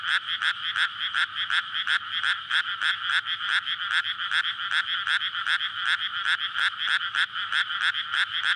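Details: At night in May, frogs court in a flooded paddy before rice planting; many voices overlap in fast rhythmic croaking, roughly two to three pulses a second, loud and continuous, captured on a SONY PCM-D100 linear PCM recorder.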